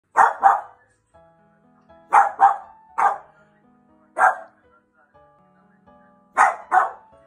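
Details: Four-year-old French Bulldog at home barking at dogs on television, recorded before counter-conditioning training: sharp barks, often in quick doubles, with gaps of about a second, over soft background music and television sound.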